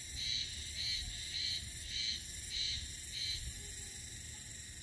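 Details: A Japanese spring cicada in Mihama, Fukui, sings on 7 May at 11:05 in the morning. The song is a pulsing, nasal buzz, each throb repeated about every two-thirds of a second.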